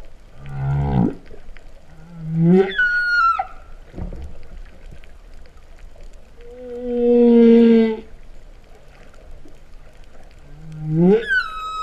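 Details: Humpback whale song heard underwater at Vava'u, Tonga, during September 2015: a deep grunt, an upward-sweeping moan ending in a high whistle, a sustained steady mid tone around the middle, and another rising sweep.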